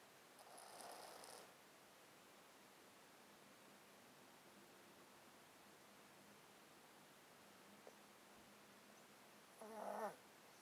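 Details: Close-miked domestic cat sleeping in a box, sounding snotty from a chronic illness: one raspy breath at the start, a long quiet stretch with a faint hum, then another louder wheezy breath near the end.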